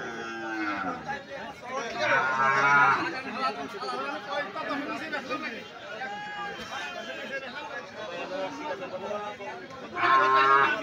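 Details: Cattle at the crowded Sonapur livestock market after Eid, where many cows and goats have been brought in: two drawn-out, low, harmonic moos, one near the start and one at the end, amid constant human chatter and talking.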